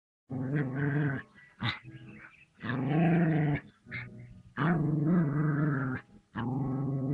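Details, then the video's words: Puppy growling while attacking a king cobra: deep, rough growls in long bursts of about a second, separated by short gaps and brief higher yelps, repeated roughly every one and a half seconds. "Puppy Attacks King Cobra!!!!"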